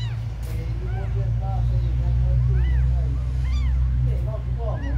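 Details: Several abandoned kittens give arched, bending mews, a few a second, some thin and high, others lower. A heavy, steady droning hum fills the background throughout.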